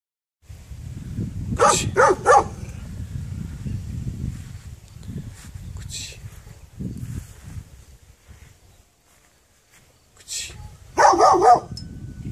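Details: A dog barking outdoors: a quick run of three sharp barks early on, a quieter stretch with low rumbling background noise, then a loud cluster of barks near the end.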